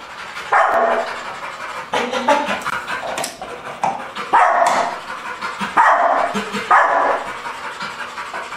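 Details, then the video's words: Pit Bull named Patch, extremely reactive at the mere sight of another dog, after 15 days of desensitization: a run of loud, harsh barks in bursts roughly every second, with panting and a person's voice between. "Chien réactif 3 La progression de Patch le Pittbull"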